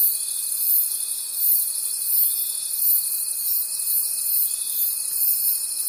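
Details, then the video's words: Crickets calling at night in a forest: a dense, shrill high-pitched chorus that swells in soft pulses roughly every 0.7 seconds, over a thin, steady whistling tone held throughout. "Cricket Conversations at Night"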